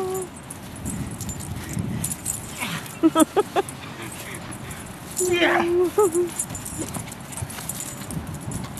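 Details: Playing with his 15-year-old boy, the 16-month-old dog Buttons lets out a quick burst of four or five short sharp barks, followed by a longer held vocal tone among human chatter.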